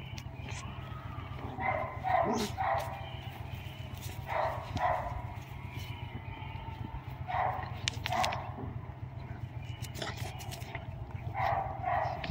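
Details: Mrvica the Doberman playing with Kerry Blue Terrier puppies; short harmonic barks and yips come in bursts around two, four and a half, seven and a half, eight and eleven and a half seconds over a steady low hum.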